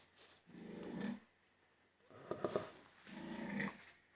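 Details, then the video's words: Pig grunting while having its teeth checked: three low, rough, pulsed grunts, each about a second long, in a small room. "Cute Pig 🐷 noises while having teeth checked"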